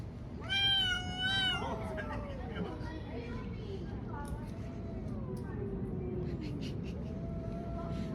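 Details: Cats fighting outdoors on a street: a loud, harsh, vibrating yowl, then quieter drawn-out wails that slowly descend in pitch, with steady low background rumble.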